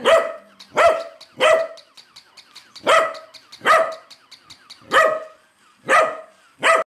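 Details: Domestic corgi barking intensely at a wind-up style moving toy corgi, eight sharp barks in seven seconds, some in quick pairs, with soft regular ticking between the barks.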